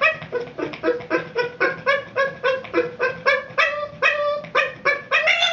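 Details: A Boston Terrier, obsessive over his ball after it rolls out of reach, gives rapid, high whining yips, several each second, in frustration.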